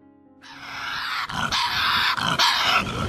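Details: A Tasmanian devil, a puppy-sized marsupial predator, gives a loud, harsh, raspy screech of nearly three seconds with rough pulsing surges, noisy rather than tonal.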